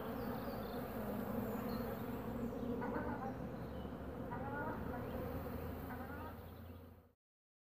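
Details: Carniolan honeybees at the hive entrance, guarding it and fending off attacking wasps. A thick, continuous droning buzz from many bees, with a few brief higher chirps, fading out near the end.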